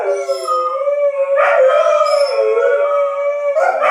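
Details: Dogs howling in response to a tornado siren test: loud, sustained, wavering howls with a full set of harmonics, sliding slightly up and down, with brief breaks between long drawn-out notes.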